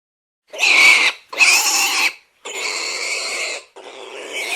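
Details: Domestic pig squealing: four loud, harsh, high-pitched screams, each about a second long, separated by brief silences, the later ones slightly weaker.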